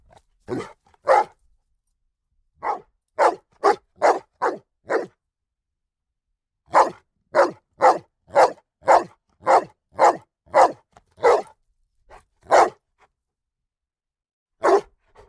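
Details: A dog gives rapid, harsh barks in uneven runs, a long steady series in the middle, with quiet gaps and no other sounds.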